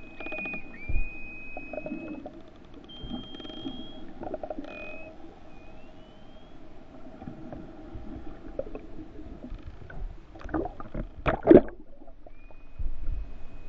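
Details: False killer whales from the endangered main Hawaiian island population, attacking mahimahi off West Oahu, give high, drawn-out bending, sliding whistles with bursts of underwater clicks.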